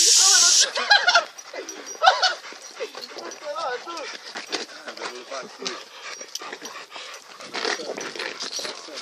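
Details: A Staffordshire Bull Terrier gives high, wavering whines and short yelps during an attack, with people talking alongside.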